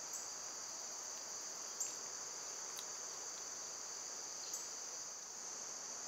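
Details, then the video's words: Cicadas droning in summertime, filmed when they were at their quietest. A steady, sharp, high buzz runs throughout. Two or three brief ticking clicks break through near the start and middle. "Cicada sounds"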